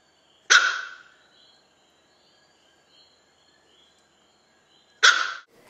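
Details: Dog during a fight between a poodle and a big collie; two sharp, loud single barks about four and a half seconds apart, with near silence in between.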